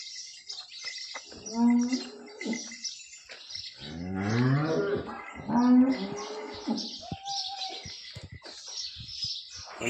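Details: Holstein Friesian cow on her second calving, having calved the night before, at Somthane village, Sinnar, Nashik district: a few low, drawn-out harmonic moos rise above steady bird chirping and men's voices.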